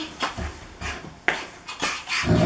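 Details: Large bear-like dog wrestling playfully with its owner, giving short rough growling huffs in bursts roughly every half second, with low rumbling energy and scuffling between them.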